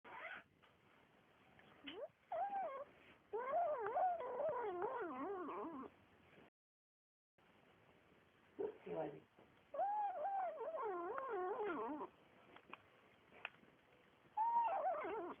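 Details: Greedy Siamese kitten (described as ragdoll Siamese) guarding its meat while eating, making wavering, moaning meow-like growls in long bursts that rise and fall, with short pauses and a brief silence midway.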